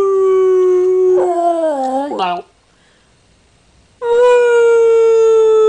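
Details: Dog howling: a long steady tonal howl, then a wavering, bending stretch with a brief yelp-like break, a pause of silence, and a second level sustained howl with rich harmonics.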